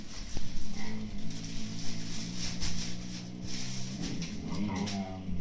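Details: Pair of 8-9-month-old Siberian Husky puppies squabbling over an empty food bag, giving a steady deep rumbling growl that swells and fades, with a higher whining tone near the end and rustling in the background.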